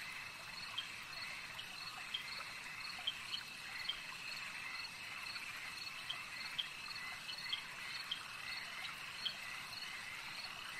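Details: A lakeside frog chorus: continuous shrill, high trilling layered in steady bands, with brief bright clicks popping out every second or so against a quiet, low-free background.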